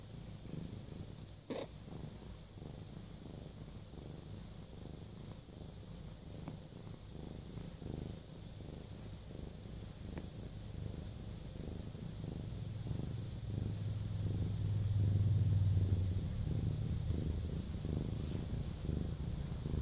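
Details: Close-up recording of a pet cat purring: a soft, low, continuous rumbling throb pulsing about four times a second, growing slightly louder toward the end, in a quiet room.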